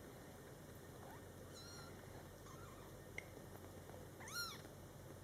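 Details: Scottish Fold kittens in their first month, born July 22, 2012, calling near their mother: faint, brief kitten squeaks, then one clear, high, arched meow near the end, above a constant low room hum.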